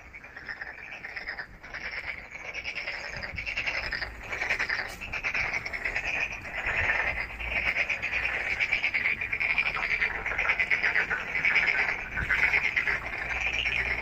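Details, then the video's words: Frogs calling at night: a dense, overlapping chorus of raspy, pulsed croaks at a fairly high pitch, surging and repeating about once a second without pause over a steady low background hum. "Night frog call"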